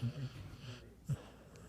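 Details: Bandit, a dog, snoring indoors: short low rumbling breaths pulse at the start, fade into soft wheezing, then one brief deep snort near the one-second mark.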